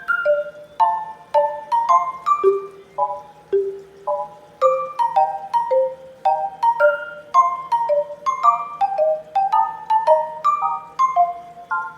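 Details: Light marimba-like melody of bright plucked notes in a cheerful rhythm, with no meowing or other animal voice.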